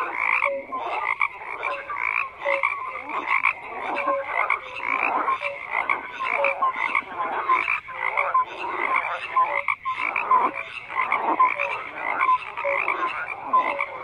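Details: Frogs croaking in a dense chorus, many overlapping pulsed croaks between mid and high pitch, with short tonal notes repeating roughly every second and steady layered calling throughout.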